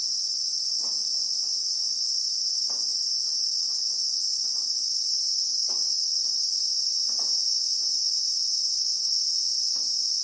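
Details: Unbroken, piercing high whine from Christmas beetles (Anoplognathus) in South African acacia bushveld, two even layered tones holding constant loudness, over scattered faint low clicks at irregular intervals.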